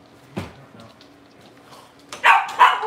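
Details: Cavalier King Charles Spaniels indoors in a home kitchen, where a puppy spends mornings with the household pack of adult dogs; after a faint knock, two sharp barks ring out near the end over a quiet room and a low steady hum.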